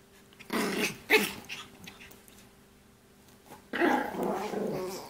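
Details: A Shih Poo, a shih tzu and mini poodle mix, gives short rasping growls, a burst near the start, a quiet gap of about two seconds, then a longer gravelly growl to the end.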